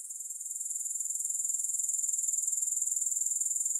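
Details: Grasshoppers: a steady, very high-pitched shrill trill with fast regular pulsing, fading in slightly over the first seconds, no music or other sounds.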